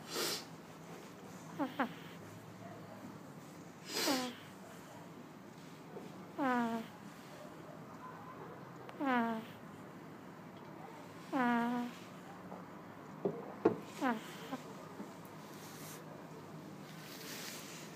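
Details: Two-month-old pug puppy Chateaubriand snoring in sleep; short nasal snores with falling harmonic sweeps come roughly every two to three seconds against a quiet background.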